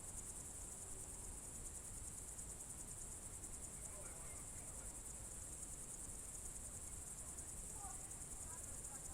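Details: June 2023 evening nature sounds from the Novye Buregi tract, Novgorod region, Russia: crickets give a constant high, rapidly pulsing trill, joined by distant, faint bird twitters near the middle and end over low rumble.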